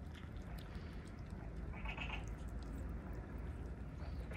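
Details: Kitten that has just spotted a large plate of chicken and fish while running and pounced on it; one brief high meow near the middle, set against constant low rumbling background noise.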